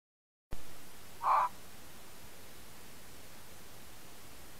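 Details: A red fox, recorded by a camera trap in the Colli Euganei Regional Park, Italy, gives a single short, harsh call against a steady background hiss.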